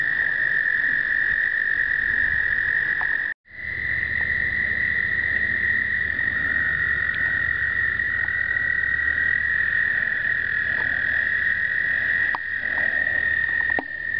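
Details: American toads in an explosive breeding event in 2009, filmed on a Canon point-and-shoot camera: many overlapping long, steady high trills merge into one continuous ringing drone, briefly cut off near three seconds before resuming.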